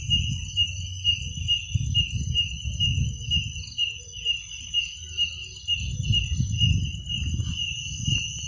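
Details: Night crickets: a sustained high, pulsing trill with a higher ringing band, about two beats per second, partly masked by heavy low rumbling noise that swells and fades.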